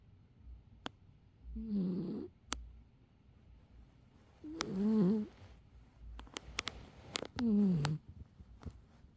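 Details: A domestic cat snores loudly indoors, giving three rough, buzzing breaths at roughly three-second intervals, each wavering and raspy with a low droning pitch, while sharp little clicks and taps sound in the quiet gaps between them.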